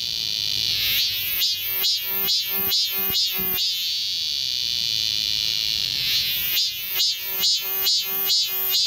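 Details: Cicadas singing together in a park forest in Seoul's Galsan Park during midsummer. A shrill constant drone is broken by two runs of rhythmic, rapidly repeated throbbing pulses, separated by a few seconds of steady buzzing.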